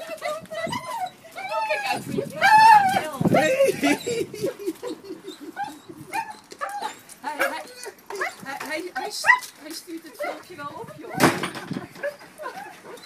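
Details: Dog crying after being reunited with its original owners: high, wavering whimpers and whines rise and fall in pitch, with short yelps in between and people talking excitedly over the top.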